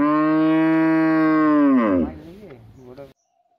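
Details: A village cow gives a long, steady moo that drops in pitch and trails off.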